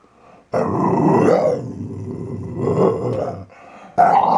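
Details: Playful growling from Archie, a Valley Bulldog just over three years old; a long, gravelly snarl that swells and fades over three seconds, then a sharp fresh burst at the end.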